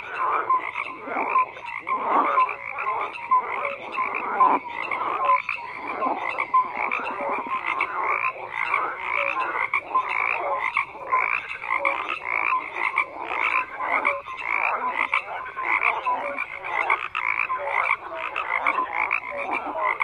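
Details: Frogs in a loud massed chorus, rasping pulsed croaks layered densely and repeating nonstop, with a few clearer notes standing out.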